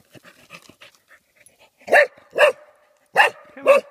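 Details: Golden Cocker Spaniel in Yorkshire's Dalby Forest reacting fearfully to cardboard cutouts: soft whimpers and snuffling sounds lead into four loud, harsh barks in two pairs.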